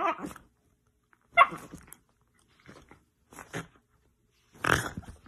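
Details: A miniature dachshund at play gives four short, rough, growly bursts spaced about a second apart, the loudest near the start and a harsher one at the end, with quiet gaps between them.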